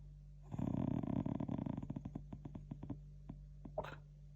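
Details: Shiba Inu dog breathing noisily while asleep indoors and being gently stroked to calm it; a fast, rattling burst of growly snorts that slows into spaced clicking puffs, ending with a brief rustle.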